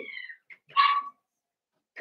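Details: Cavalier King Charles Spaniel puppy, blenheim, one of five littermates born at New Year, in an indoor pen: a falling whistled whine, a short squeak, then a strong harmonic yelp.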